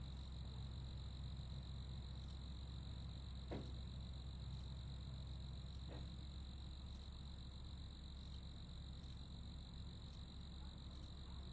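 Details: An unbroken ringing cricket trill sits high above a loud, low continuous rumble, interrupted by a couple of short knocking sounds.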